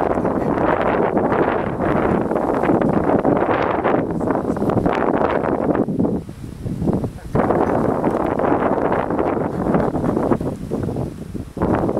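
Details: Heavy wind buffeting the microphone almost continuously, with a voice talking underneath during spring work on a beehive.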